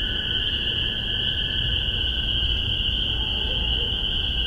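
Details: Massachusetts spring peepers, spring 2015, recorded through spaced MXL 603 omnis into a Tascam DR-40. Unbroken high-pitched peeping chorus forms a steady ringing tone above a low rumbling background.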